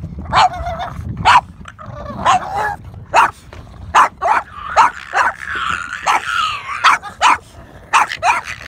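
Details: Playful Boston Terriers, encountering dolphins at sunset, bark rapidly and repeatedly, about a dozen short sharp barks in quick succession, some doubled, with a wavering higher whine rising between them midway and low background rumble.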